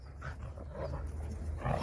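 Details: Jindo dog Sarang playing energetically with dog friends in Busan, South Korea. Short rough growling bursts come three times over steady low wind rumble, with a person calling the dog's name nearby.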